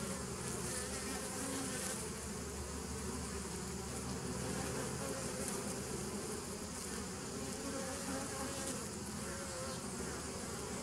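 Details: Continuous bee buzz from a 27 September 2018 recording: a steady, even drone with low harmonic layers and gentle wavering, with no birds, voices or other sounds standing out.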